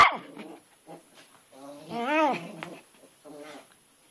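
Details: Twitch the dog, outdoors in the rain, barking at a rock in a flower bed that he seems to think is alive; short harmonic yelps, then a drawn-out arching whine-bark around the middle, and a few softer yelps at the end.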